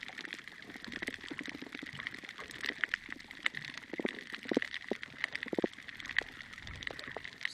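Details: Snapping shrimp at Ningaloo Reef just before sunrise, a dense crackle of countless sharp clicks, joined by reef fish making little grunting and popping sounds in a fish dawn chorus; lower pops stand out every second or so.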